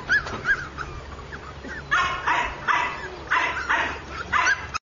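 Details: Blenheim Cavalier King Charles Spaniel puppy: a few thin whines at first, then a run of five or six sharp, harsh barks roughly every half second in the second half, with a low steady hum behind.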